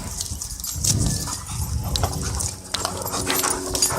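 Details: Dogs, a Boston Terrier and a German Shorthaired Pointer, face off at a dog park; a rough, broad vocal burst rises near the one-second mark, followed by weaker scattered sounds over steady low rumble and hiss.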